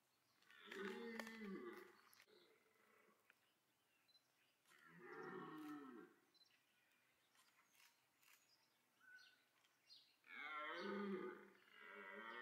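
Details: Red deer roaring in the rut at Parc Sainte-Croix wildlife park, where stags pursued females and clashed; three drawn-out, rasping roars several seconds apart, quieter and more distant, with faint clicks and chirps between them.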